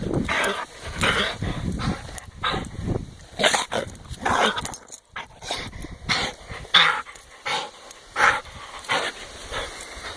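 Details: Domestic dog play-attacking a person's hand, giving breathy growls and snuffles in quick bursts about every half second, with a few thin whines and steady scuffling.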